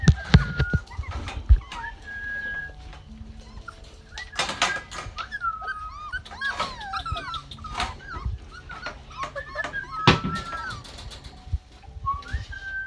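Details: Several young Rottweiler puppies indoors in Canada, day 33 of Georgia's litter, potty training: scattered squeaky whines and short rising cries, broken by a few sharp bangs and bursts of rustling.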